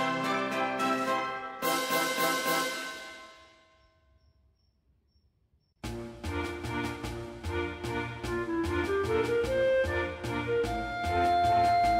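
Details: Brassy orchestral music plays, cuts to a near-silent pause for about two seconds, then resumes with brisk repeated chords; no animal sound is heard.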